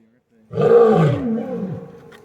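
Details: A lion at an exotic feline rescue gives a deep, rough roar that starts abruptly and trails off over about two seconds.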